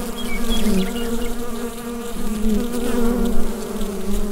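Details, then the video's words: Inside a bee hive, on a Rode NT-USB microphone: a thick, low, unbroken buzz with gently pulsing volume. Faint short high chirps occur near the beginning. "Bee Hive Sound Effect"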